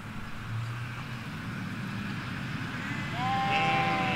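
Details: Sheep in a Hampshire countryside field with ewes and lambs, recorded by a hedge on stereo M5 microphones: steady low traffic-like rumble, then a single drawn-out bleat near the end.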